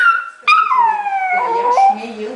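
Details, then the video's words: Two-year-old male Yorkshire Terrier that loves to sing, giving a drawn-out tonal howl with rich harmonics. Its pitch slides steadily downward, then wavers and breaks near the end, with no other clear sounds. "Yorki singing"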